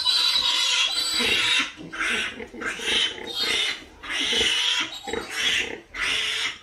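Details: High harsh squeals from pigs in bursts of about one second, separated by brief dips where low grunts come through.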